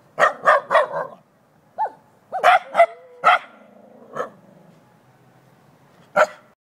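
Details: Shiba Inu barking at a jack-o'-lantern pumpkin; a quick burst of three sharp barks, then a short whine, another cluster of barks, a softer growly bark and one final bark after a pause.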